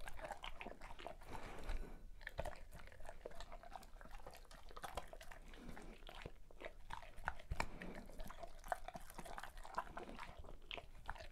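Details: A Great Pyrenees at its birthday feast, steady wet chewing and intermittent crunchy bites with brief quiet gaps, close-up indoor sound in a small room.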